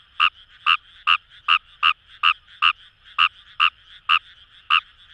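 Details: Fejervarya kawamurai in Itoshima's paddy fields by the Kamo River, Fukuoka, Japan, giving quick, sharp croaks more than two a second, slightly uneven, over a humming chorus of other frogs.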